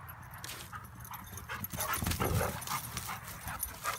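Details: Three dogs, a husky, a wolf dog and a pit bull, at play together; scuffling with short whimpers and yips over steady broadband rustle, loudest bursts around the middle.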